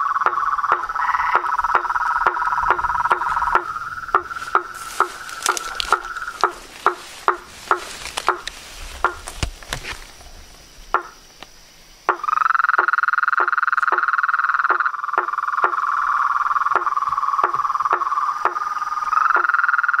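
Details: Chorus of frogs and toads: a steady droning trill held at one mid pitch, overlaid with sharp knocking clicks repeating about four times a second, a burst of louder crackling calls midway, the drone pausing briefly before resuming strongly.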